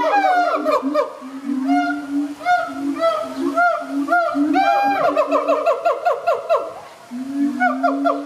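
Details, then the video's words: A Siamang family at ZooTampa, Florida, with mated pair duetting to strengthen their bond, inflated throat sacs, and young female present: loud, rich booming calls with steady low notes and rapid rising and falling whoops, audible over 2 miles. "SIAMANG APE BOOMING CALLS - FAMILY FUN TIME"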